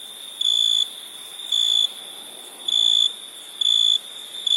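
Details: Crickets: loud, high, pure-toned chirps about half a second long, repeating roughly once a second, five bursts over a steady shrill background chorus of more crickets.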